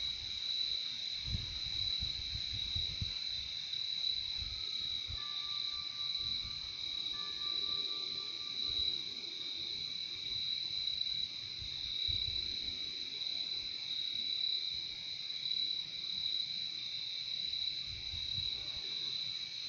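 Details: Massed crickets keep up a constant high, buzzy trill; partway through, a thin steady whistle-like tone runs for about four seconds, and faint low thumps and rumbles come and go in the background.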